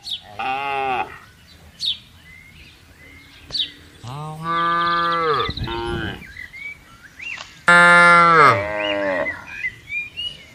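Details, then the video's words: Cattle roaming in a vast palm oil plantation, a string of moos from the herd: short calls, a long sustained low moo, and a loud high-pitched bawl near the end, with faint bird chirps between. "Herding Cow Sounds"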